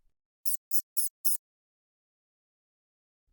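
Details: Mouse squeaking: four very high, thin, short squeaks in an evenly spaced run lasting about one second, followed by silence.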